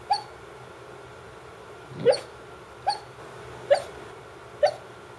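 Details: A female Brittany that never barks while awake gives soft, muffled little woofs in her sleep, five brief yips spaced about a second apart.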